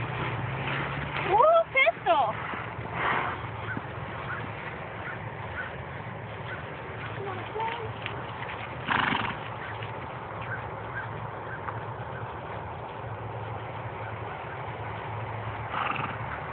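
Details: Palomino Quarter Horse under a rider, giving one shrill, falling whinny early on, followed by clip-clopping hooves and people talking.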